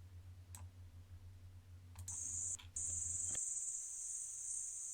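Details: Bush-cricket, probably Pholidoptera littoralis, singing in a meadow in Slovenia, captured by a microphone array: after low hum and a few faint clicks, a steady, very high-pitched hiss-like buzz starts, briefly breaks, then continues unbroken.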